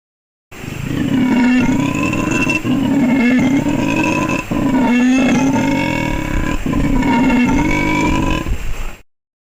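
A howler monkey gives a deep, rasping roar that swells and fades in long repeated surges.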